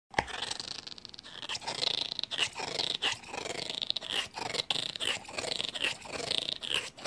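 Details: Gaia the bulldog chewing contentedly: a steady run of wet crunches and sharp clicks, bursts every fraction of a second, with brief soft grumbling noises between bites.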